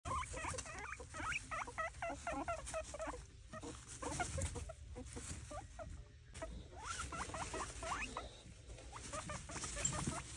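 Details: Pet guinea pig calling loudly in a series of rapid, stuttering squeaks in quick chattering runs, with pauses between bursts and constant rustling and pattering in the background.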